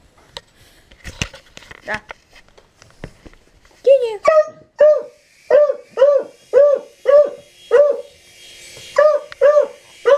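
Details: Dog barking at a helicopter: after a few seconds of people talking and clicks, a series of sharp, evenly spaced barks, roughly two per second, continues to the end.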